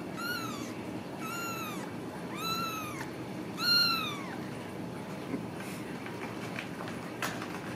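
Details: Home-raised Ragdoll kittens in central Kansas calling in four arched, high mews roughly a second apart, each rising then dropping, the fourth loudest, followed by faint clicks and rustling against a low background hum.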